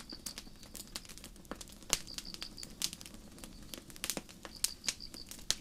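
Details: Crickets on a starry night in the forest give high, pulsing chirp bursts in quick succession, nearly continuous, while sharp campfire crackles and pops break in often.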